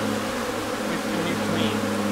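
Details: Honey bee colony humming at the hive in May in Newfoundland, shortly before swarming; a steady low drone with a person speaking over it.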